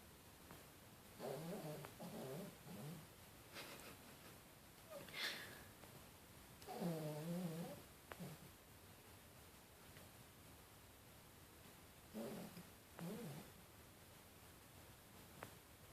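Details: Yorkshire Terrier dog snoring indoors: soft, low rasping breaths in slow bursts about every few seconds, with quiet pauses between and faint room hiss.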